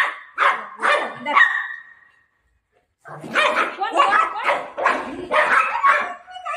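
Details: Milo, a Golden Retriever puppy at play with mom, gives three quick barks, falls silent for about a second, then resumes a run of rapid, overlapping barks; human speech is faintly mixed in.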